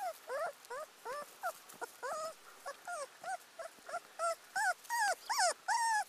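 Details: An abandoned teacup Pomeranian puppy whines steadily, each short cry rising and then falling. The cries come about three times a second over a low hiss of background noise.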